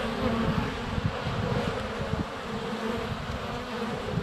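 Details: Honey bees crowding the hive entrance on a sunny February day; constant thick buzzing of many wings, with small knocks and pops as bees bump into the nearby microphone.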